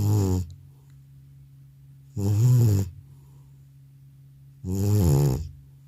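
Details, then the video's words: Old pet cat out cold after a vet visit gives booming, rasping snores, three in view, each roughly two and a half seconds apart, low and rough with a faint background hum. "나의 늙은 고양이의 우렁찬 코골이 리얼사운드"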